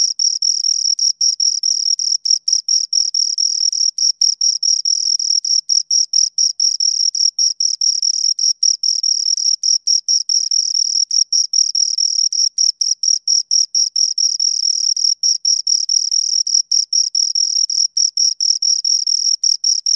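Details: Two crickets chirp continuously for twenty seconds, dense high-pitched pulses merging into a near-constant shrill trill with brief gaps, interlocking rhythms and no other noise.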